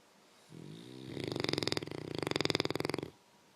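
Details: Snoring contest between an English Mastiff and a French Bulldog; a single loud snore of about 2.5 seconds, building into a rapid fluttering rattle before stopping abruptly.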